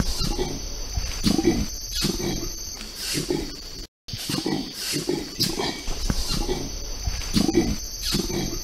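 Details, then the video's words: Orangutan making two separate sounds at once, likened to human beatboxing: rhythmic low grunting pulses in quick clusters. A steady high-pitched drone runs throughout, and the sequence repeats after a brief silent break. "Orangutans can make two sounds at the same time, similar to human beatboxing"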